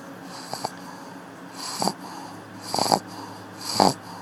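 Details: Akilla, a pug asleep at the office, wheezes and snorts loudly, with harsh raspy breaths roughly once a second that grow stronger toward the end, over a faint steady hum.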